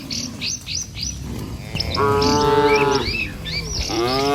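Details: Bird chirps open the sound, then tame village cattle being herded over a wooden bridge toward pasture let out a steady, level moo about a second long, followed by the start of another.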